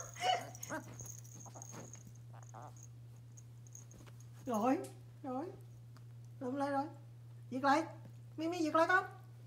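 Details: Small Pomeranian puppy indoors in a small room, a series of high, whiny harmonic yelps and whimpers, five short bursts in the second half, while a person talks in Vietnamese and a steady low hum runs underneath.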